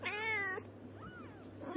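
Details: A domestic cat gives one clear, steady meow lasting just over half a second, rich in harmonics, followed by a faint, short, rising-then-falling mew. A low, constant hum sits underneath.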